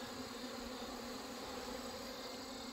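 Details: Honey bees combining colonies after hornet losses and failed mating, mountain apiary with open feeding of sugar water; a smooth, constant low hum with bright overtones, steady in loudness, over soft background noise.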